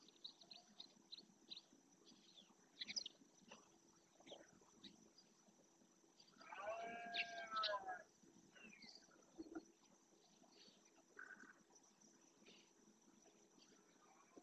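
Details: During the rut in the marismas of Doñana National Park, Spain, a male red deer bellows to assert his territory: one rich, harmonic roar lasting about a second and a half midway, set against steady chirping of small birds.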